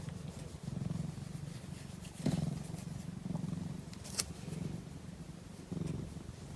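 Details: Sleeping cat gives a steady low purr, loud rumbling swells repeating about once a second or so, with one short sharp click partway through.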